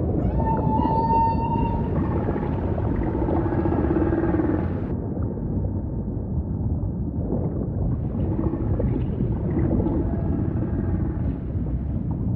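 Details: Humpback whale song: long steady tonal moans with stacked harmonics near the middle pitch range for about five seconds, then softer fading units, all over a constant deep ocean rumble.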